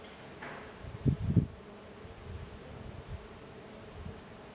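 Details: Tetragonisca angustula, the jatai stingless bee, busy outside the hive: soft continuous hum, broken by two loud low buzzing bursts near one second as a bee passes close, then quieter flutters.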